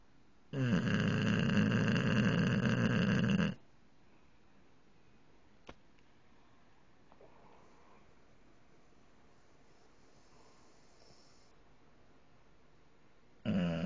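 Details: Male English bulldog snoring while his eyes stay open: one loud, raspy, drawn-out snore of about three seconds, then near silence with a faint click, and a fresh snore starting at the very end.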